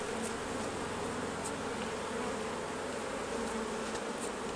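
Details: Honey bees at their hives during the honey harvest, a dense, steady buzzing drone with a low hum band beneath a bright hiss, unbroken throughout.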